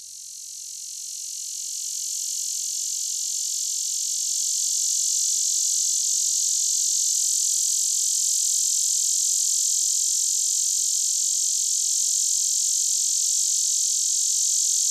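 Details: A male lyric cicada, an annual species common in Illinois and the Midwest, sings a steady, high, hissing drone that swells in the first seconds and never pulsates; its song is notable for not pulsating.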